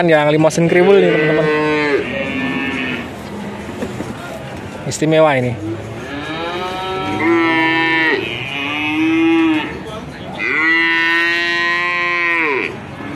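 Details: Young male cattle, one of 19 calves traded in Grabag, Magelang regency, Indonesia: four drawn-out, harmonic moos about two seconds each, separated by short pauses, with some background clatter between calls.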